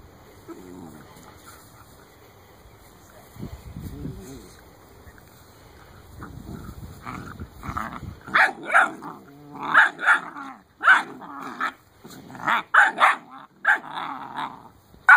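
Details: Eight-week-old Great Dane puppies give high, squeaky yelps and whines in quick, uneven bursts after a quiet, rustling start.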